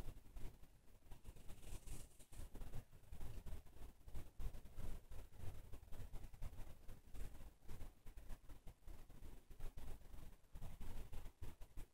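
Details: Low, muffled rumbling and handling noise throughout with no animal call heard.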